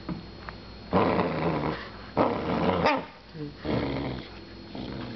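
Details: A puppy growls in a small room: three long, rough, noisy growl bursts of about a second each, separated by short pauses, with a brief sharp yip between the second and third.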